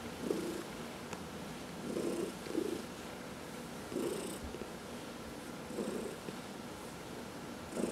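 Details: Domestic cat purring during a massage, one of four pet cats; steady low rumble with rhythmic louder breaths about every second or two, a faint click or rustle partway through.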